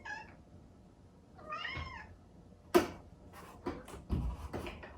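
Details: Exotic Shorthair kitten, cream-coloured, calling indoors in the early morning because it wants to see its sleeping owner. It gives two wavering meows a second apart, then sharp knocks and bumping noises follow.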